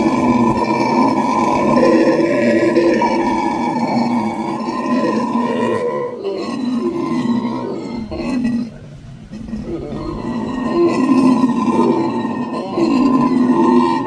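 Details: A howler monkey group roaring in deep, rattling grunts, loud and sustained, fading to a short lull past the middle before the throaty chorus rises again.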